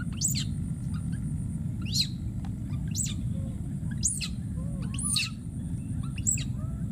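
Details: Wild baby monkey screaming and calling for his friend: a run of sharp, very high squealing sweeps repeated about every second, with a few soft arched calls between them, over a steady low rumble.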